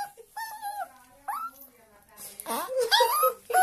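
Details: A homesick Chihuahua gives high, chirpy, bird-like whines that slide up and down in quick bursts as his owner arrives to pick him up, with a person's voice mixed in near the end.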